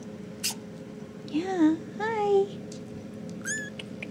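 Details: RagaMuffin kittens about four and a half weeks old, from a litter, give three thin mews in quick succession, rising then falling. The first two come close together; the third is higher and shorter. A steady low hum and faint clicks lie underneath.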